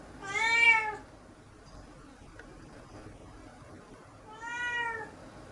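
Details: A cat called Nora, now being kept completely indoors, meows twice indoors: a clear arching meow, then after about four seconds of near silence a second, softer and slightly shorter one.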